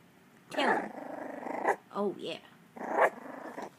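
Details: Three Miniature Dachshund puppies, learning to bark and growl, give high, squeaky yips and rough little growl-barks, one possibly guarding its food bowl, while a person talks nearby.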